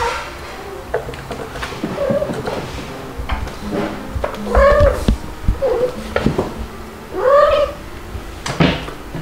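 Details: Two-month-old white kitten Stuart, living indoors with mother cats Mel and Pepper in July 2022, cries repeatedly: short, wavering mews every second or two, building to two longer drawn-out wails, over background knocking and rustling.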